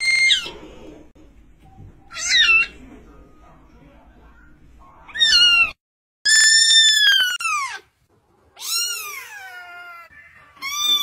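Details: Loud cat meows in quick succession, some drawn-out and falling, others short and wavering, with brief gaps of silence and other noises between them.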